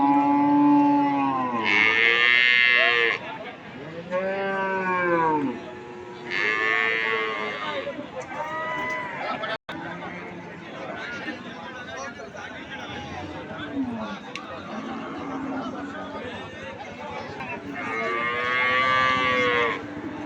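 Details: Cattle at a busy cattle market mooing repeatedly. Several long, droning moos rise and fall in pitch, some loud and near, others fainter, over a steady hubbub of people.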